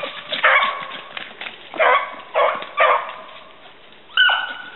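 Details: Gurdy and Magnum, two hunting dogs, give voice on a rabbit hunt in southern New Hampshire, February 2012. Four short, choppy barking bays come in quick bursts, then a single higher, rising yelp closes the passage.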